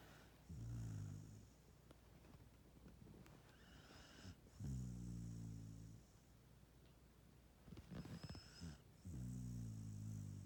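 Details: Pet dog snoring while asleep after a hard day: four low, buzzy, rattling snores with strong harmonics, each about a second long, spaced roughly every three to four seconds, with soft breathing between.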